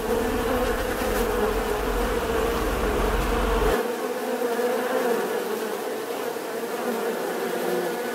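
A bee's steady, droning buzz hums on without a break, holding one even pitch.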